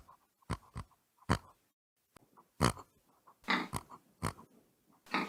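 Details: Pig giving short, abrupt grunts and snorts in irregular bursts separated by brief silences, each grunt dull and breathy, with a faint repeated tapping between them.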